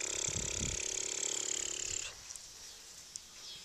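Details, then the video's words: A tiny Maltipoo puppy, still too young to move about much, lets out a drawn, steady high whining cry for about two seconds before it breaks off, followed by quiet with faint clicks. "Maltipoo Puppies Playing!!"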